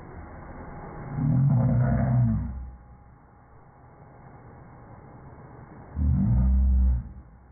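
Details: Rhodesian Ridgeback growling because it dislikes the vacuum cleaner: two deep, rumbling growls about a second long, separated by a low, quieter stretch indoors.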